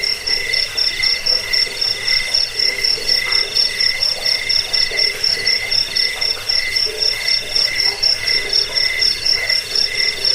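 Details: Cricket chorus used as a rat deterrent, sleep aid and bird-tutoring sound: a very high chirp pulsing steadily about four times a second over continuous lower trilling.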